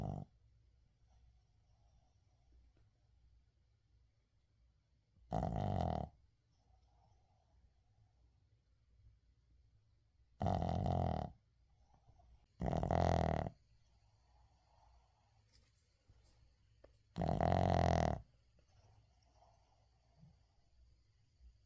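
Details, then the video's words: Sleeping Shih Tzu named Uijung snores in a quiet room, recorded without editing. Four separate loud, buzzy snores, each roughly a second long, come at uneven gaps of two to five seconds, with near silence between them. "시츄 코골이"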